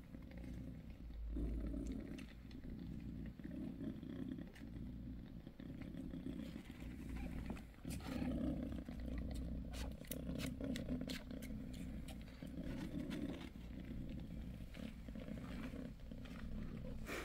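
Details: A low, rhythmic purr from Bassy, a mother cat six days after delivering a litter of five kittens, rises and falls with each breath, overlaid by frequent clicks and rustles from handling nearby.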